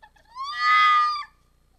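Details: Red fox howling on a December evening at a restaurant square in Iizuna, 4 December 2020, as it arrives at the restaurant. One drawn-out, harmonic, wailing cry rises then holds steady before dropping off, with a quiet background.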